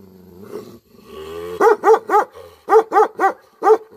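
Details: Angry Tibetan Mastiff, known as Bhote Kukur, opening with a low rumbling growl, then breaking into deep, rapid barks, about four per second, in two quick bursts with a brief pause between.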